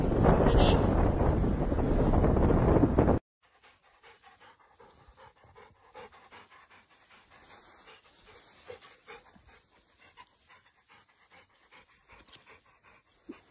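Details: Labrador Retriever panting: after a loud, noisy opening of about three seconds, rapid soft breathy pants repeat steadily at nearly four per second, with faint voices in the background.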